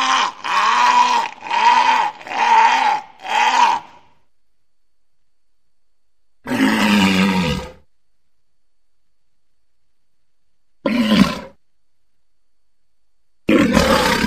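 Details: A big walrus gives four quick, rasping, harmonic roars in a row. After a pause come one longer, throaty roar, a brief loud burst, and a final call starting at the end, all separated by silence.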